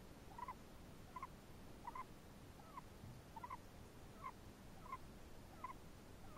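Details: Chinese hamster sounds, suggested to be snoring: a regular string of tiny double chirps, about one each 0.7 seconds, faint over a soft hiss.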